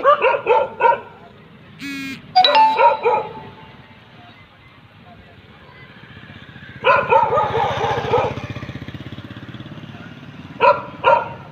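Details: German Shepherd dog giving short groups of barks separated by quieter stretches, with a brief bell-like chime and steady low background hum.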